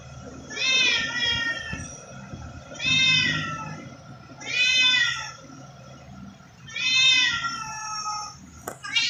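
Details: Stray cats, possibly kittens, recorded on 2 September 2023 at 7:05 pm while eating grass, give four loud harmonic meows about two seconds apart, each rising then falling, over a steady low background hum.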